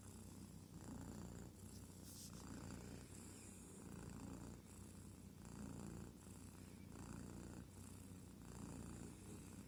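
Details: A kitten purrs steadily, a low rumbling vibration that swells and eases with each breath.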